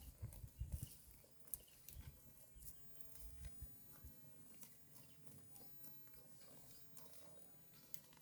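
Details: Cows in a herd feeding on fresh grass beside a road; muffled low thumps and rhythmic crunching chews, denser early on, with intermittent bright ripping snaps of grass being pulled.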